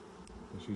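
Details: Buzzing honey bees around an opened hive six days after nucs were installed, during the first inspection in 2020; a low hum rises in two brief louder swells toward the end.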